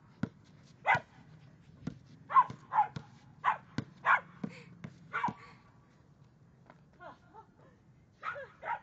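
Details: Female Samoyed puppy Honey, six months old, yaps while playing basketball; scattered high barks and yips, some in quick pairs, separated by loud thumps and taps, ending in a softer whining bark.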